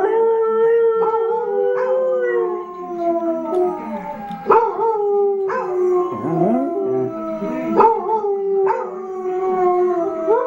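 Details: Arran, a pet dog who sings along with other dogs: a drawn-out tonal howl that opens steady, then wavers and slides downward, broken by sharp yips and renewed rising notes, several voices seeming to overlap.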